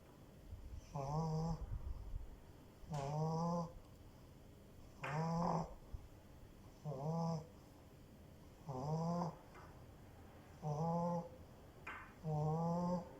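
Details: Sleeping French bulldog puppy with loud, steady snoring: seven evenly spaced snorts about every two seconds, each a low rattling buzz topped by a wavering nasal whistle, with faint breathy hiss in between.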